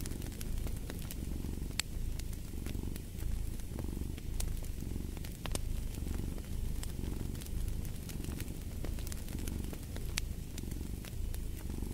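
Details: Cat purring steadily in deep low rumbling waves that swell and ease roughly every second or so, with sharp crackles and pops of a fireplace fire scattered throughout.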